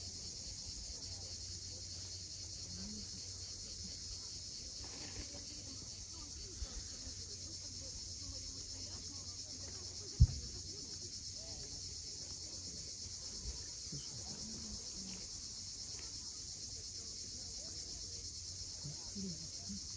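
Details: Sunset cicada chorus on Crimea's Cape Fiolent coast, a thinner high buzzing band running without pause, over rolling low wave sound and one sharp knock midway.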